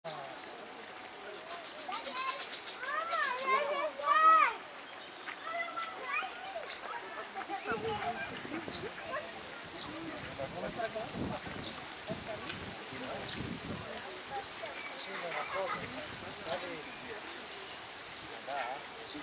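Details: Meerkats (Suricata suricatta) at Opole Zoo give rapid, high chirping peeps, with human voices chattering in the background.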